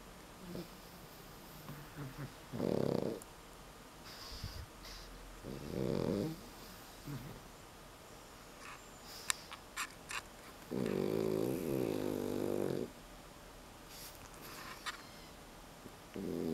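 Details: Held 9-month-old male Pekingese snorting through its nose in a snore-like way though not asleep, seemingly content; short raspy snorts recur every few seconds, then a longer two-second rumbling snort, with quiet breathing and small clicks between.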